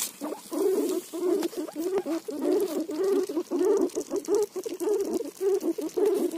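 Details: Guinea pig eating roti, giving a steady run of short low, buzzy pulses, about two each second, with a faint crackly background.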